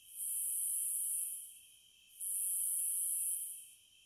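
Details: Two long, high cicada buzzes, each swelling in and fading out, separated by a short pause, over a constant faint whine lower down.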